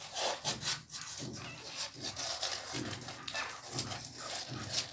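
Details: Newborn American Pit Bull Terrier puppies on their second day, giving short soft squeaks and grunts that come in quick pulses, over steady hiss and the rustle of handling.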